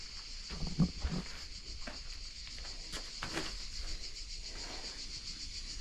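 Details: Crickets deep in a forest keep up a steady, high, pulsing trill that runs without pause, with a low rumble and a few soft knocks underneath.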